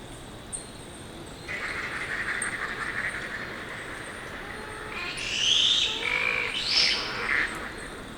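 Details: A yellow-bellied glider (Petaurus australis) in Australia gives a strange, drawn-out shriek that breaks into harsh, gurgling rattles.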